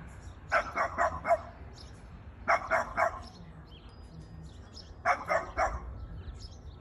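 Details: Pet Boston Terrier barks at a plastic bag in three quick bursts of three to four rapid barks, roughly two seconds apart, over a low background hum.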